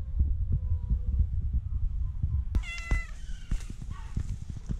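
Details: Two tabby cats on an island seek affection and food, meowing, purring and rubbing; one gives a steady, low rumbling purr broken by a couple of short meows.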